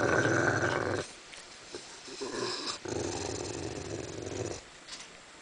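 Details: A Rottweiler guarding its bone growls low and rumbling in bursts, broken by short pauses.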